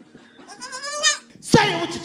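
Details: White baby goat screaming loudly after its owner urges it to give all it's got; a harsh, strained cry rising to a shrill burst, followed by a man's voice.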